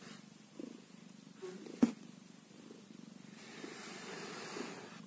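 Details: Kitten aged one day gives a quiet, rhythmic low purr, interrupted once by a sharp click near the middle and soft rustling afterwards.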